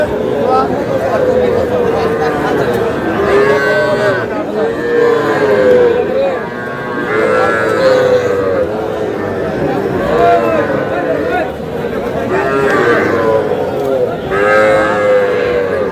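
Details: Young bulls and heifer calves at a cattle market in Comilla, Bangladesh, on 21 July, mooing in drawn-out, wavering harmonic calls that rise and fall, repeated several times, over constant crowd chatter and men bargaining over prices.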